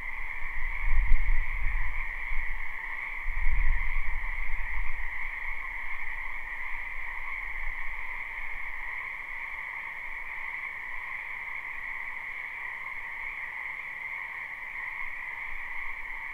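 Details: A spring wetland full of frogs, recorded live: a continuous massed croaking chorus holds a constant two-layered trilling drone, while two deep rumbling thumps break in during the first few seconds before fading away.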